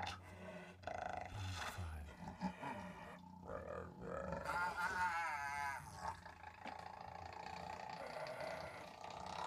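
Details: Hyena recorded in Kadbanwadi forest near Bhigwan, India: deep, rough roaring grunts, then a wavering, quavering higher call in the middle, over a constant low rumble.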